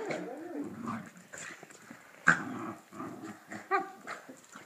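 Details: Two pet dogs chasing each other wildly around their house, with low rumbling growls and scuffling play noises, a sharp knock near the middle, and quieter thumps of movement throughout.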